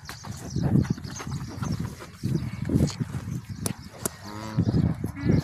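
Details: Cow just after giving birth to a female calf, a future dairy cow; one brief, deep, harmonic moo near the end, mostly covered by excited Spanish speech and rustling.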